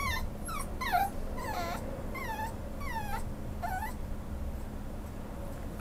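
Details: Young male Schnauzer offered for adoption by a pet shop, whining repeatedly: thin, downward-sliding whimpers about every half second, some drawn out, over faint background hum.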